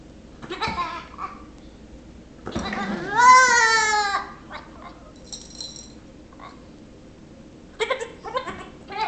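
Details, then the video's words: Nigerian Dwarf kid, six weeks old, annoying a Yorkshire Terrier at home: a long quavering bleat of over a second rises loud, bracketed by brief nasal bleats at the start and end. "Nigerian Dwarf Baby Goat Annoying Yorkie"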